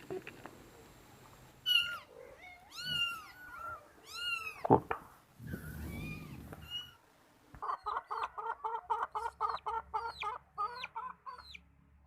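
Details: Kittens at home giving several rising and falling meows, then a noisy burst, followed by a fast series of about fifteen short regular chirping notes, possibly from a bird, in a quiet room.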